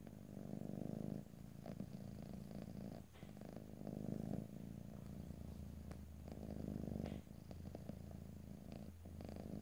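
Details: Domestic cat purring in close stereo with no talking: a rich low purr cycling with the breath, a soft low hum appearing in the background partway through, occasional small clicks.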